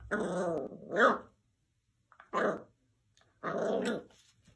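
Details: Dachshund indoors giving growling, barking bursts in three rough harmonic outbursts with silent gaps between them, while a person praises it as a good boy.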